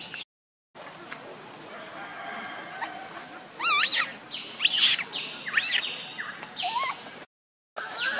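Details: Baby monkey named Leo, missing its mother and hungry for milk, crying: loud, wavering high-pitched screams with strong overtones, bending up and down, several in quick succession midway through, over a faint steady background hiss.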